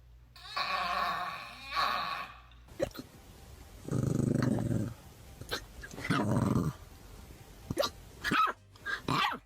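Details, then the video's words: Indoor dog making strange noises: two rough, higher-pitched bursts, then low rumbling growls lasting about a second each, broken by short sharp barks and clicks. "The dog made strange noises"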